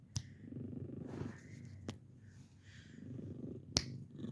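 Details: Purring from a 15-year-old senior female domestic cat indoors, a steady low rumble running through the clip, broken by sharp finger snaps used to test her hearing.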